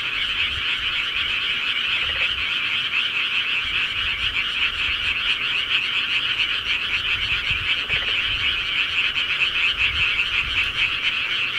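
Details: Countryside frog chorus at night, an unbroken mass of quick, rattling croaks from numerous callers, holding a steady level, with occasional faint low knocks underneath.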